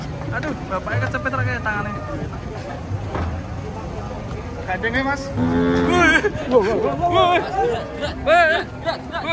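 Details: Agitated bulls rampaging as they are unloaded from a truck, giving deep, drawn-out moos amid a busy din of shouting human voices and other noise, with louder overlapping calls toward the end.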